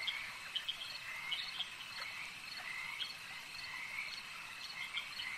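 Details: At a lake, frogs keep up a continuous high trilling chorus, with a few sharp clicking croaks near the start and scattered softer calls after.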